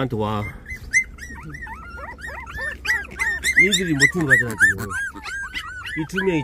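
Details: Puppies 24 days old whining together. High arched squeals overlap in a dense, busy chorus, with a few lower, louder cries mixed in.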